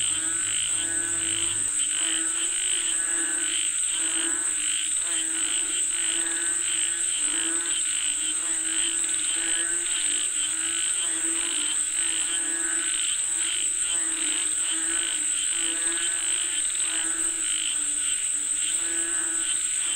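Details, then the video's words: A chorus of frogs calling for rain: many overlapping throaty croaks in quick pulsing bursts, and a constant shrill insect drone throughout. A brief low rumble is heard at the very start. "Listen to the Sound of Frogs Calling For Rain 🌧️🐸 เสียงกบเรียกฝนตก"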